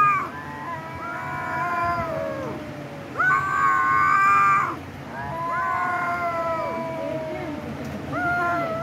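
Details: Cat letting out long, held yowls that swell in loudness, then dip and trail off, repeated several times with brief gaps, low steady hum underneath.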